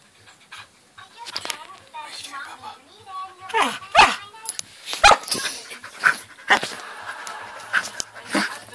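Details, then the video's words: Samoyed puppy going wild to get attention, giving short sharp yips and barks, clustered around the middle and scattered later, while a person talks throughout. "Samoyed pup going nuts"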